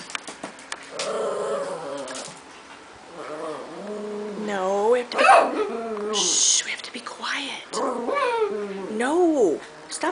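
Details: Sassy pet Chihuahua talking back indoors while hushed by its owner, making long warbling, groaning whines that swoop up and down in pitch, some ending in a rising yelp-like note, in a small room.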